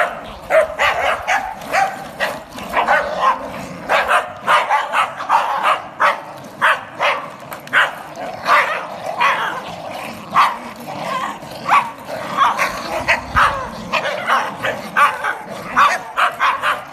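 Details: Energetic pack of Scotties, among them Daisy, Chip, Dolly and Dora, joined by a Sealyham and a Jack Russell, rotate elderly Squeak on a trolley across a Guildford garden. Dense, overlapping excited barking is almost continuous, several dogs yapping at once.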